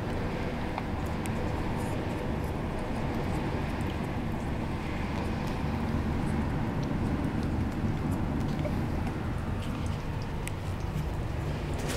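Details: A constant low engine or road rumble fills the recording, with faint voices in the background. No animal sound can be picked out.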